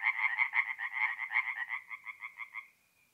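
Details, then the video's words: Tree frogs singing at a forest pond by night, mid-April, north-east Italy: a quick train of bright nasal knocks that slows slightly and fades out after nearly three seconds, leaving quiet. "relaxing forest pond by night with singing tree frogs"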